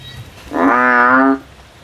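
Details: Male frog calling in a field: a single loud, nasal, droning note lasting just under a second, rich in harmonics, steady in pitch, with quiet background before and after.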